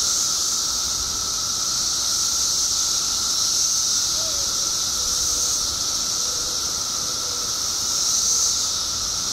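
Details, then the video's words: Illinois periodical cicada emergence after 17 years underground, billions strong: dense, shrill, ceaseless droning chorus with gentle pulsing swells in loudness and faint short chirps in the background. "Billions of Periodical Cicadas Emerge After 17 Years Underground Cicadas Making Noise Illinois State"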